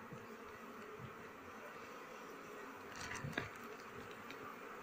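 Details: Honey bees buzzing as a keeper begins harvesting honey from the hive with smoke in flowering season. Their continuous hum fills the mid range, and a brief handling clatter rises near the three-second mark.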